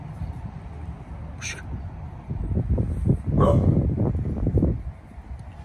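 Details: Bullet, a pit bull about to turn 11, barks while protecting the yard: a cluster of deep, rough barks fills the middle seconds over a steady low rumble, with a few brief sharp clicks.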